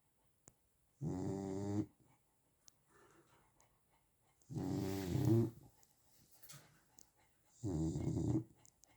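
A Chow Chow snores in deep, rumbling breaths, one roughly every three seconds.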